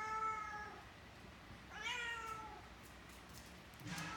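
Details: Pet cat Abbie with Mikey, a six-month-old Great Dane puppy, during affectionate nose-to-tail contact; two clear harmonic meows, the second rising sharply then sliding down, followed by a rustling knock at the end.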